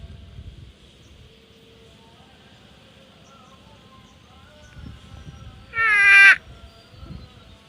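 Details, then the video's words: Quiet pasture with faint distant animal calls and soft thumps, then a water buffalo from a grazing herd lets out a brief, harsh, wavering bleat lasting about half a second near the end. "Bunyi Kerbau | Suara Kerbau | Kawanan Kerbau"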